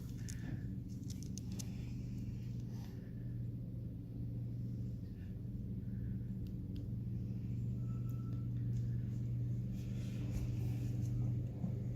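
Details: Low steady rumble with a faint hum, occasional light clicks and a brief thin tone, and no animal call.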